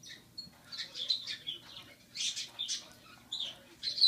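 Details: Rescued six-week-old squirrel Rocky, still on formula, trying carrot: a string of bright, high chirpy squeaks, some doubled, with short quiet gaps between bursts.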